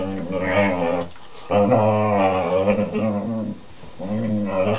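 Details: Whippet indoors on a sofa, talking to his four-month-old younger sister while they play: three drawn-out, low, wavering groan-growls with rich harmonics, the middle one longest, separated by short pauses.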